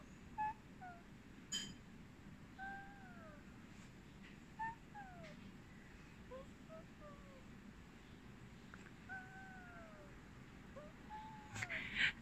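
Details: A big Maine Coon cat gives soft chirps: short, sliding, bird-like trills repeated every second or two; the owner wonders whether these funny sounds mean the cat loves them.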